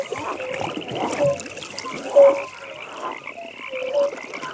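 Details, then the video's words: At a nighttime frog pond, clear short croaks sound roughly once a second, each a brief tonal note, over a quieter background of distant rattling trills and faint water-like clicks. "Frog Pond"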